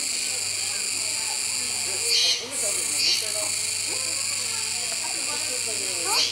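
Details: Continuous shrill buzzing of Kuroiwa cicadas at Neo Park Okinawa, Japan, 16 October 2021, beside feeding capybaras; the high drone holds steady, broken by short accented surges near the middle and end, with soft lower scratchy noises underneath.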